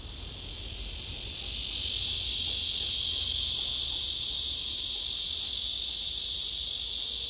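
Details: Summer cicada calling a courtship serenade: a loud, continuous hissing buzz, somewhat softer at first, that swells to full strength after about two seconds and then stays even and unbroken.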